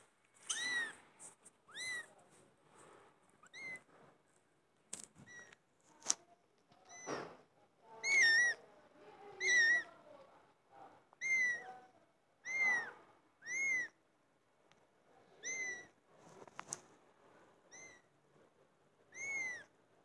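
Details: Cats meowing loudly, a run of about fourteen high, arched, tonal meows, each short and rising then falling, spaced irregularly every one to two seconds over a quiet background with faint soft rustling.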